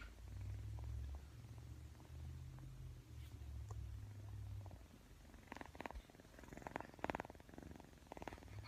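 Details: Persian kitten purring during play with a camera: a continuous low droning rumble for several seconds, then brighter rapid pulsed bursts of purring toward the end.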